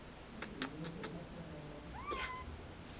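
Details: A pet cat utters a short upward-sliding meow near the end, after several soft taps and clicks, with a woman speaking affectionately just before.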